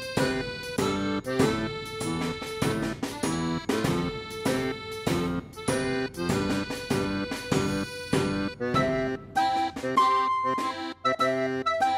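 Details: Only accordion music is heard, with rhythmic chords and melody and no animal sounds.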